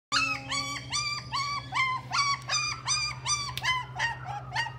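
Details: Toy Poodle at a pet shop in Nagano giving high, tonal whining notes with a stack of overtones. Each note is slightly falling, and they repeat roughly two to three times a second. A steady low electrical hum runs underneath.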